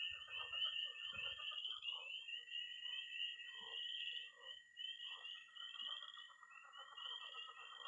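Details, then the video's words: Early spring night at a Missouri pond, with tree frogs peeping, pond frogs croaking and toads giving high trills. Overlapping shrill peeps run continuously over a level trill, broken by short clustered croaks and brief low rumbles near the start. "Relaxing sounds. 20 minutes of toads and frogs, sound only!"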